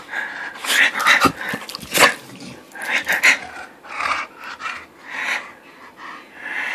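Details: Pet Bulldog playing with its owner on 20 August 2013, giving a string of breathy, wheezy snorts and short huffs, some bursts rising to rasping grunts, at an irregular pace of roughly one burst every second.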